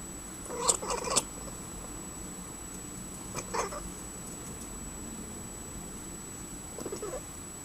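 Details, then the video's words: Domestic cat chattering at birds: a cluster of short, clicky, harmonic bursts near the start, another brief burst mid-way and a faint one at the end, over steady background hiss with a constant thin high whine. "My cat talking to the birds"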